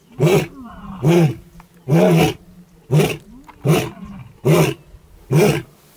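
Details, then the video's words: An adult male lion, a nomad in the Maasai Mara, gives a run of deep, throaty grunting roars, about one every eight-tenths of a second, in the morning. "ROAR! Ormagilani, Musketeers legacy, Paradise boy, Maasai Mara lions"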